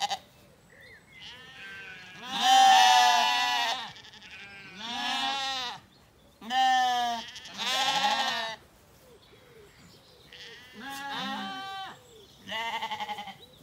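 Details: Evening in an Irish orchard, County Kilkenny: Zwartbles lambs relaxing after weaning give a string of about eight wavering, nasal bleats of varied loudness, some overlapping, with short quiet gaps between calls.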